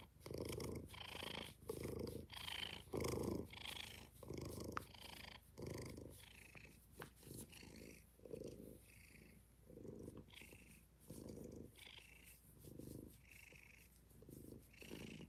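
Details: Kittens purring indoors in a cuddle room: a soft, rhythmic rumbling purr pulsing with each breath, about once a second and fairly even throughout, with nothing else clearly heard.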